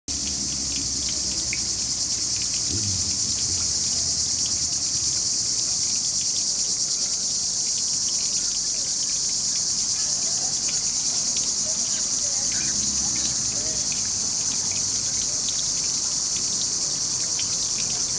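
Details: Cicadas keep up a steady, high-pitched buzzing drone under trees by a river, over gently running water from a fountain.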